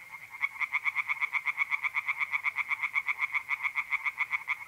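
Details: Singing tree frogs by night in a pond in north-east Italy, mid April, give a rapid, regular train of loud pulsed croaks, roughly four per second, building from a quieter start.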